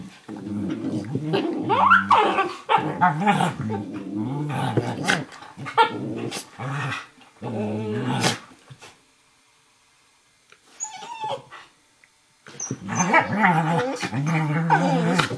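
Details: Play fight indoors between an 11-week-old Eurohound puppy and an adult Nova Scotia Duck Tolling Retriever, aged 4.5; rapid fierce growls and yips in dense bursts, a quiet gap near the middle, then growling resumes.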